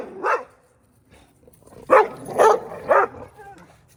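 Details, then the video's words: A neighbor's dog, recorded close up on 14 January 2024: one bark, a pause with faint low sounds, then three loud barks about half a second apart. "Neighbor's barking dog"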